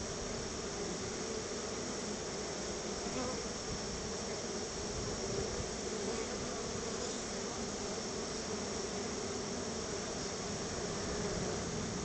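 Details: Honey bees crowding at their hive while being given a treat of bottled honey; a thick, continuous buzz with a low, even drone holding level throughout.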